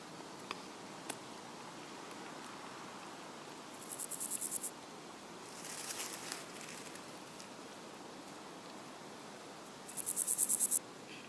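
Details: Meadow grasshopper, Chorthippus parallelus: three short bursts of rapid, pulsed, high-pitched scratchy chirping, each about a second long and a few seconds apart, over a soft steady background hiss.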